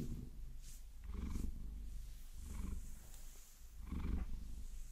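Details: A Maine Coon, Vasilisa, purring contentedly as long nails massage her; the deep purr comes in four rhythmic surges with soft breathing pauses and quiet scratching sounds.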